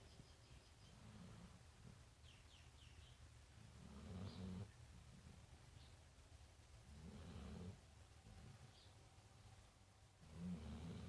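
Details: Sleeping big brown dog Marley at The Funny Farm, worn out, giving four slow, low, gravelly snores spaced roughly three seconds apart in a quiet room.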